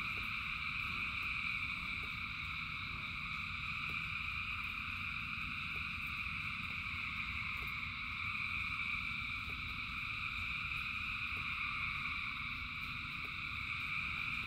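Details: Massed frogs singing in rain: an even, sustained chorus of high trills in distinct layered bands, with faint ticking drops roughly every second and a low rain roar throughout.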